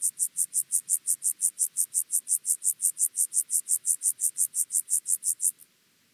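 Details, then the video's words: Chorthippus vagans grasshopper singing at Mörnsheim, Germany, on 14 July 2023: a steady run of about thirty high, hissing pulses, evenly spaced roughly five per second, stopping abruptly after five and a half seconds, with a quiet background. "Chorthippus vagans -- Steppengrashüpfer"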